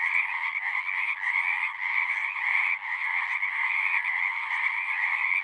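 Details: Pond frogs in a horse pasture, recorded with a Zoom 6, in full chorus: a loud, continuous buzzing trill with mid and higher tones, barely pausing, and no other sounds.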